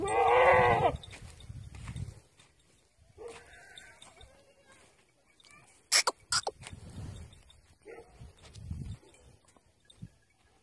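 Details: Beetal goat mother with her kid: one loud, harmonic, nasal bleat of about a second opens, followed by softer, shorter bleats, rustling and a few sharp clicks near the middle.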